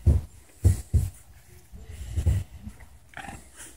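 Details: Dog being massaged, giving a few short, deep grunts and snuffles close by, low and muffled, with soft rustling between them in a small quiet room.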